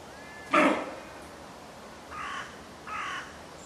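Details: A doe barks about ten metres from the recordist after camera beeps give away the recordist's presence: one loud, harsh bark, then two shorter, softer hoarse barks less than a second apart, over a quiet background.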